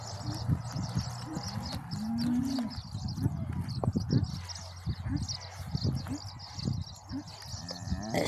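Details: Cow in labour on a farm, the calf about to be born; a single short, low, rising-then-falling moo lasting under a second, surrounded by Spanish-speaking voices and background noise.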